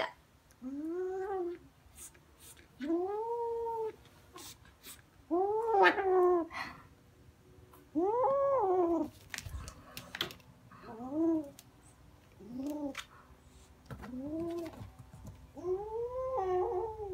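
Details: Kittens playing indoors with a fluffy toy, one carrying it in its mouth and running around while growling; drawn-out, wavering moaning growls with rising and falling pitch, about one every two seconds, short clicks and knocks between them.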